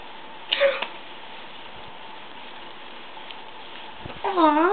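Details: Persian kitten, a brown tabby and white male, lets out a brief high mew early on, then near the end a longer wavering meow that bends up and down, with quiet room background between.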